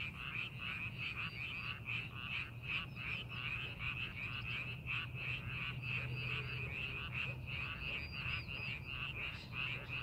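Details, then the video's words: Frogs calling in a rice paddy being prepared for farming, in scenic countryside in Korea. Many callers overlap in a dense chorus of short, bright, rattling croaks, repeated about two to three times per second. A steady low mechanical hum runs beneath. "농사준비하는 논에서 개구리 울음소리"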